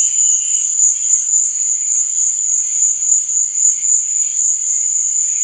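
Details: Unbroken high-pitched cricket trilling on a night, steady and even, with soft fluttering tones faintly audible beneath.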